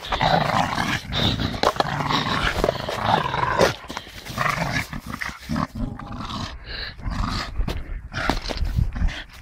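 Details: Staffordshire bull terrier playing with a tyre, growling in a continuous rough, rumbling stream with sharp clicks and knocks scattered throughout, the growl easing briefly near the middle before resuming.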